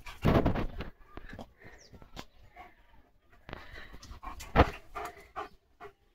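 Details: Leo, a pet German Shepherd, pants playfully during a game, a loud burst of rapid breathy huffs followed by softer, irregular panting puffs, with faint bird chirps in the background.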